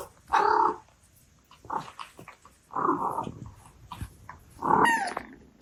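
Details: An Abyssinian cat mother talks to her kittens with short, rolling chirps and murmured meows, about food time, grooming and small complaints.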